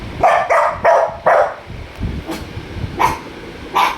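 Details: Dachshund barking indoors, four sharp barks in quick succession in the first second and a half, then scattered softer yips; a woman's voice asks what happened in Bengali.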